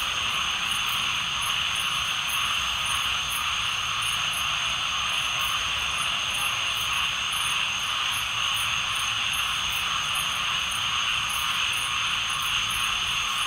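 Tree frogs call together in a thick, unbroken chorus that merges into a continuous shimmering hum. High, quick pulses tick along over the top, and no other clear sounds break through.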